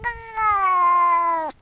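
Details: Single drawn-out cat meow lasting just over a second, steady and strongly harmonic, gently dropping in pitch before cutting off abruptly.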